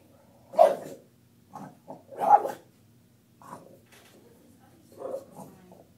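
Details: Lucy the Bulldog, a female pet, reacting to her own image in a picture with a few short, gruff barks and grumbles spaced irregularly over six seconds, quiet room between.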